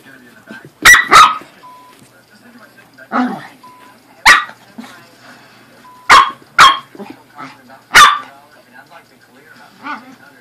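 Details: A corgi and a Pomeranian playing together indoors; sharp, loud single barks burst out irregularly, sometimes in quick pairs, about seven over ten seconds, with quiet gaps and soft human voices between them.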